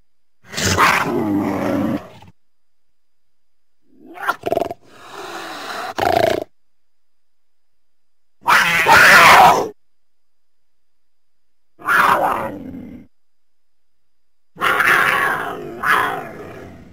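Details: Cougar making harsh, breathy, noisy bursts like hisses and snarls, each about one to two seconds long. Five or six separate outbursts are set apart by short silences.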